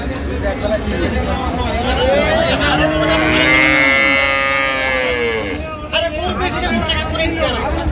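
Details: Cattle, cows and calves for sale at the Ambari haat cattle market on 20 September 2025: one long, drawn-out moo of about three seconds, swelling then fading, amid constant crowd chatter and engine noise.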